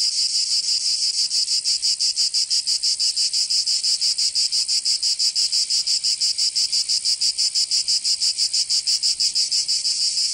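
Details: Cicadas singing in summer in Provence, southern France: a loud, dense, high buzzing drone, pulsing steadily about three times per second without a break; no other sounds.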